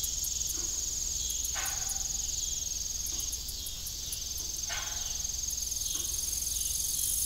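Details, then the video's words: Crickets trill unbroken and high through the evening at an abandoned farm, with faint ticking pulses on top. A rusty windmill lets out creaky squeals roughly every three seconds. "Evening Cricket Sound"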